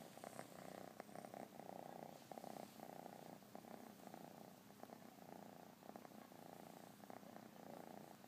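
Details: Cat purring steadily up close, a low, soft, rhythmic rumble alternating with each breath, quiet throughout with small scattered clicks.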